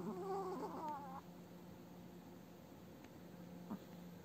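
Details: Aged pet Chihuahua snoring while sleeping at home, seemingly dreaming: a whistled, tremulous nasal tone wobbling for about a second at the start, followed by quiet with a low steady hum and one faint tap.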